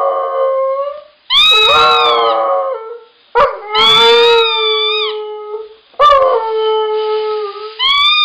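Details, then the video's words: A Siberian Husky gives a string of howls, each one bending downward and then settling into a sustained, slightly wavering tone, with brief gaps of silence between phrases. "Husky Howling"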